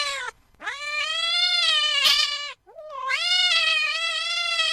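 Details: Cat uttering long, insistent meows: a short opening cry, then two sustained, bright calls that climb at the start and hold steady, separated by a brief gap.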